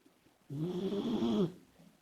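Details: Komachi, a female Labrador Retriever puppy, snoring loudly while asleep: a single long, rough, rasping breath lasting about one second, low and throaty with a buzzy rattle, in an otherwise quiet room.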